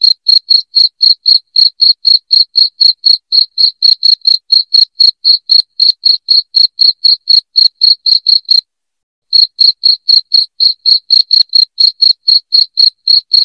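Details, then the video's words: Piercing cricket chirps for driving off household rats, pulsing steadily at about four a second, with one brief silent break in the latter half before the rhythm picks up again, no other noise. "SUARA JANGKRIK NYARING"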